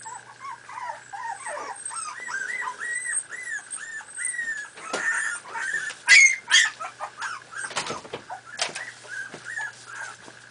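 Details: Miniature Pinscher puppies, four and a half weeks old, playing: continuous overlapping high whimpers and arched whines from several pups, broken by sharper yips and scuffling clicks, with a faint steady hum beneath.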